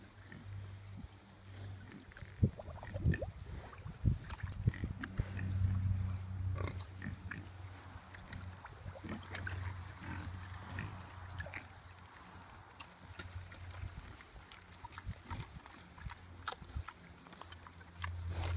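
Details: Tamworth sow with her nine piglets, having broken out of their pen and moved to pasture, munching grass; low, soft grunts repeated in quick irregular bursts, with snuffling and rustling outdoors.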